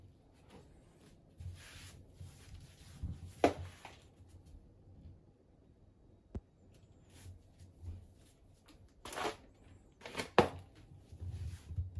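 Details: Indoor room sounds after a neutered Ragdoll cat returns home wearing a cone collar: soft shuffling, rustling and scattered knocks and taps, with no animal voice heard.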